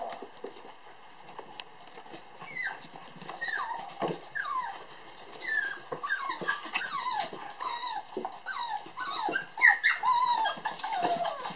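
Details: Toy poodle sister puppies born 9 July at play, producing softer high whines and squeaky yelps, many short downward-sliding cries in quick succession, with light background rustle.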